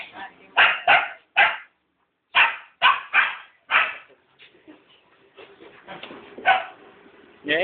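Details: Two Rottweilers barking in bursts: three hard barks, a brief gap, four more evenly spaced barks, then softer mixed vocal sounds and one more bark near the end.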